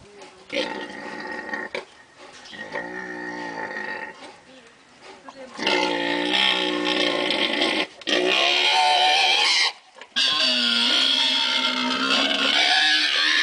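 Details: Several wild boar (Sus scrofa) at Wildpark Peter und Paul, St. Gallen, Switzerland, give harsh, rasping squeals and grunts in quick bursts, calling over one another.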